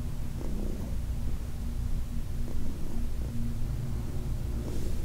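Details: Low continuous purr from Heidi, an elderly cat from the Humane Society of New York City, during a massage session; deep rumbling with brief soft brushing noises from handling.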